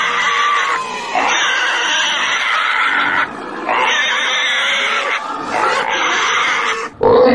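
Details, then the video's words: Pig giving long drawn-out squeals in several bursts, each a steady tonal wail lasting one to two seconds, separated by brief pauses, ending with a sharper high cry. "Domuz sesi🐷Pig's voice🐖Schweinsstimme🐷Donuz səsi🐖豬的聲音🐷la voix du cochon"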